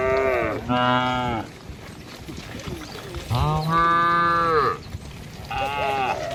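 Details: Tame village cattle herded across a river bridge in the morning toward fields to feed; three long, deep moos, the middle one the longest and steadiest, separated by short pauses over faint background noise.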